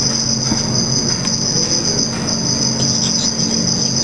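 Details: Black field cricket (Teleogryllus oceanicus) mating and showing aggression, observed in red light: a sustained high, shrill trill without gaps, over a steady low hum.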